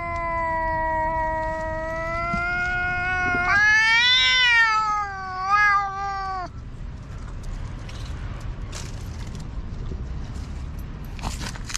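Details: Loud quarrel between two black stray cats in a park: a sustained, wavering caterwaul climbing in pitch and breaking off after about six seconds, followed by quieter outdoor rumble and scattered clicks.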